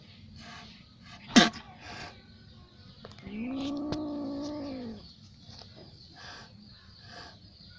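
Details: Little cat in an angry mood gives a single drawn-out, low, moaning yowl of about one and a half seconds, gently arching in pitch, preceded by a sharp click, over a steady background hiss.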